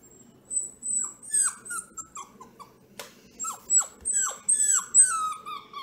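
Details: Bats, a vocal purebred Bluetick Beagle puppy indoors, gives a fast series of high, sharply falling yips and whines, some thin and whistled, about two a second and irregular, with a sharp knock midway.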